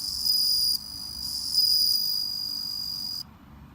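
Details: Bell crickets raised at home, newly begun calling, give a piercing high ringing trill that briefly dips in loudness, then continues before stopping abruptly near the end; a quiet low background hum throughout.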